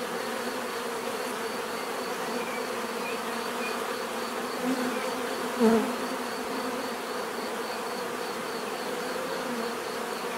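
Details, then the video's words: Natural buzzing of bees, a continuous layered drone of many insects, with one bee passing louder and closer just before the middle, swelling briefly above the steady hum. "bees therapy relaxing natural buzzing sound"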